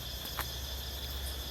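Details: In the evening in a young forest garden in Thailand, two or three cicadas sing loudly in a steady, high, shrill buzz with a low background hum, as trees put out new leaves; cicada.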